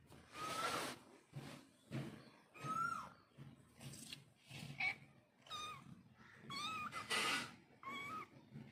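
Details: Cat calling to kittens and kittens calling back: scattered short meows, some rising then falling, between bursts of rustling noise and soft thumps.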